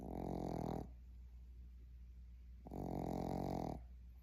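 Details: A Boston Terrier puppy snores in its sleep: two long, grating, rattly snores, each close to a second, separated by a quiet pause of almost two seconds.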